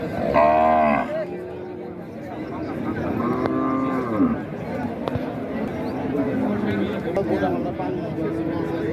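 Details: Cattle at a market in Raniganj, Dinajpur, Bangladesh, 2025: a loud short bellow opens, then a second drawn-out moo ending with an upward slide, followed by softer lowing amid murmuring crowd noise.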